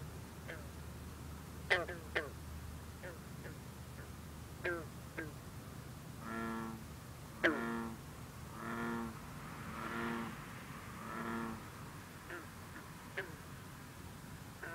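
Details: Green frog, also called bronze frog, calling at night over misty water on a cool, humid evening, giving sharp twanging plucked notes at irregular intervals, while bullfrogs drone in long, deep, harmonic notes in the background.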